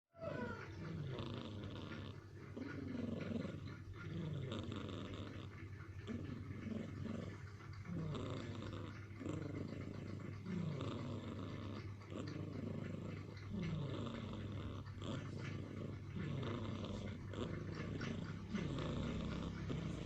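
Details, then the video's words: Black pet cat sound asleep and snoring while hugging a shoulder: soft, rasping breaths repeat roughly every one and a half seconds in a steady rhythm over a constant low hum. "Funny cat snoring and angry. Kucing lucu ngorok dan marah"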